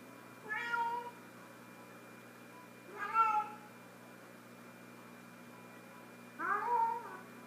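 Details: Female house cat Sofie with her sock toy calls three times, roughly every three seconds. The meows are short and rich in harmonics, and the last one starts lower and rises. A quiet room hum runs throughout.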